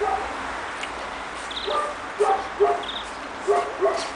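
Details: Young Pekingese puppies, two and a half months old, on their first outing in snow in Tallinn, Estonia: thin, high yelps come in pairs, some faint and some sharper, over a steady background hiss.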